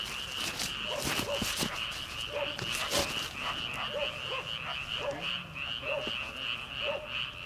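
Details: Frogs calling from rice paddies at the start of summer, before transplanting, late at night: a thin high repeated trill with separate lower croaks about once a second, mixed with sharp clicks and knocks.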